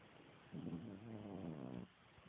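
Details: A sleeping French Bulldog, with someone trying to wake him, gives a single low, droning snore lasting just over a second.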